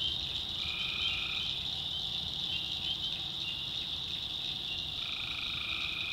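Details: Tree frogs at night in a North Carolina swamp: a constant high-pitched chorus, with a lower, harsher trill of about a second near the start and another in the last second.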